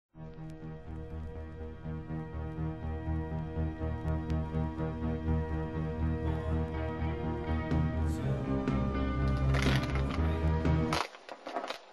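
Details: Soft ambient music with a pulsing low rhythm builds gradually and then stops abruptly, leaving brief faint noises; no animal sounds are heard.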